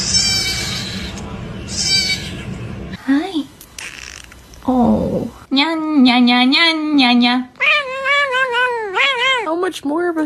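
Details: Pet cat making noises indoors while its owner talks to it; a series of drawn-out, wavering meows, some rising and falling, after opening human speech and a rustling start, with the owner's voice between calls.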